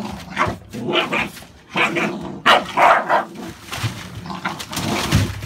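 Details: Barking from American Staffordshire Bully dogs kept indoors: short, sharp barks in uneven bursts, several close together around the middle, over room noise and shuffling.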